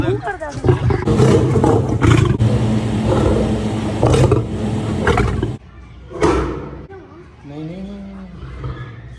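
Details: Male lion seen up close, staring into the camera: a deep, rough roar with low harmonic rumbling that runs for about five and a half seconds, then stops abruptly, followed by human speech.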